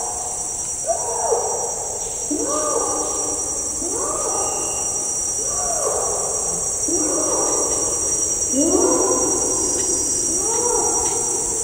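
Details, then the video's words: Distant adult male Bornean orangutan giving a long call in rainforest, bellowing sounds echoing eerily: a series of moaning, arched, rising-then-falling calls repeated about every one and a half seconds, over a steady high hiss of insects. "Bornean Orangutan / Distant Long Call From Adult Male. Bellowing Sounds Echo Eerily In Rainforest."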